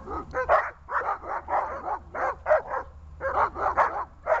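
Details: Dog in training barking on command, a rapid run of paired yappy barks with a brief pause before a further burst.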